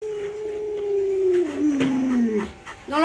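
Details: Pet Alaskan Malamute howling in a long, wavering tone that slowly falls in pitch, with a woman speaking Chinese over part of it and a short rising yelp at the end.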